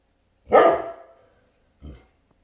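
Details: Great Pyrenees reacting to a delivery truck at the neighbor's: one loud, booming bark with a long fading tail, then a softer short woof over a second later, quiet room otherwise.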